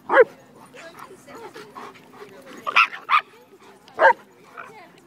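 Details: An 8-month-old female Shiba Inu playing with a much larger dog at a dog park gives short, sharp barks in a few quick bursts, with voices murmuring behind.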